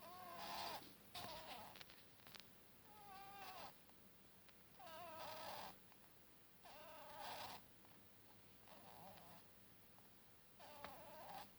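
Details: Snoring from Buttons, a one-year-old pet bunny: a long series of nasal, wavering squeaky snores roughly every second or two, some with rippling whistled tones, against a quiet room hum.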